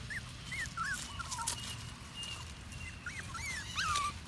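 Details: Puppy out walking in the woods, making soft, high, wavering whines that curl up and down in pitch, repeated in short bursts through the clip, over a steady low outdoor hiss with faint rustling.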